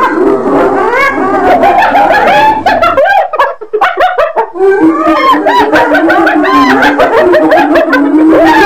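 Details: Hyenas keep up a continuous jumble of pulsed cackles and whining yips, briefly thinning in the middle before a dense chorus resumes.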